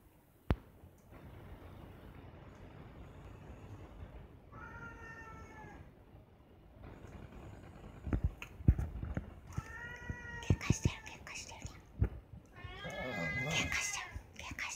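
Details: Cats in a fight: drawn-out, wavering harmonic yowls near the fifth second, again around ten seconds, and a louder quavering wail at the close, over a steady low rumble and a few sharp clicks.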